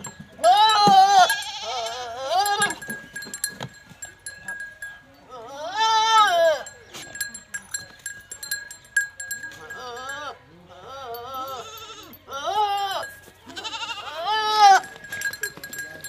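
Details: Goats in Punjab, Pakistan, during a first natural mating with a Teddy goat buck: a series of loud, shaky, wavering bleats, about six over sixteen seconds, separated by pauses with faint rustles and a constant thin hum.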